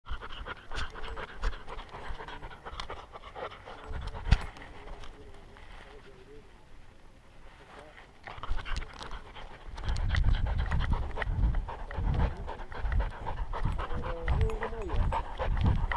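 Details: Skyline, a male Welsh Springer Spaniel puppy, hiking around Enchanted Rock near Fredericksburg, Texas, recorded by a GoPro on his collar: irregular breathy panting, quiet at first, then louder with heavy low rumbling handling and movement noise.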